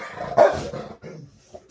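A Rottweiler gives a single sharp, mid-pitched bark followed by softer grumbling vocal sounds.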